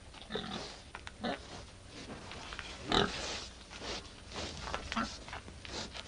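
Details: Male wild boar mating with a domestic sow in heat; short scattered grunts and snorts at irregular intervals, one louder burst near the middle, with low background rustling.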